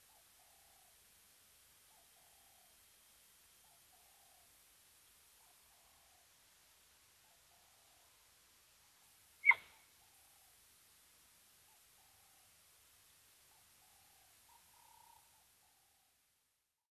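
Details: Cheetah calling repeatedly at the Mabula Gnu waterhole in South Africa, caught by a streaming camera: a quiet series of brief tonal yelps about once a second, a sharp loud click midway, then a final slightly longer call.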